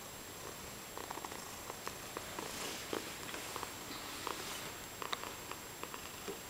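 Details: Cat purring and chattering at the same time indoors: a steady low rumbling purr under short, quick clicking chatter bursts scattered through the clip, with a faint constant high-pitched hum in the background.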